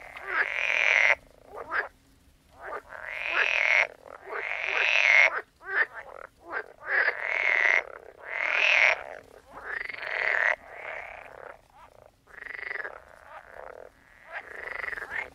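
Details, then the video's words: Loud frog croaking in long, harsh, buzzing calls roughly a second long, repeated with short gaps, several frogs overlapping in a strong chorus. "Sound of Frogs Croaking"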